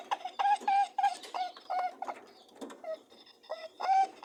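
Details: Mating rabbits giving short, nasal honking grunts with a steady mid pitch, several in quick bursts of two or three, separated by brief pauses and softer buzzing hums.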